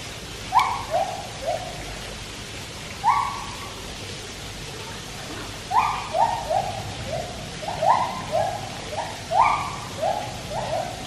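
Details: White-handed gibbons at Taipei Zoo sing in bursts of short upslurred hoots, first spaced singly, then in quick trains of three to five falling steps, with a quiet gap between the groups.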